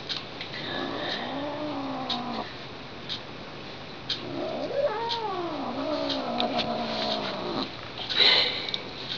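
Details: Pet cat Lily, not amused at being tapped, gives theremin-like caterwauls indoors: a drawn-out wavering howl, a pause, then a second rising and falling moan lasting about three seconds, ending with a brief rustle.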